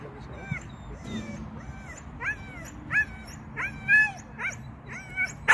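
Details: Shetland sheepdog during agility training, first seesaw and tunnel attempts: excited rising-and-falling whines and yips repeated about every half second, growing louder, over soft background voices.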